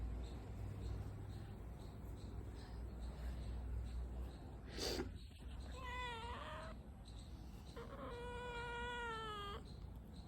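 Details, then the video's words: Pet cat meowing while yawning: a drawn-out, wavering mid-pitched meow followed by a second longer, steadier meow about two seconds later, over a constant low background hum. "Funny Cat 🐱 meowing and yawning same time"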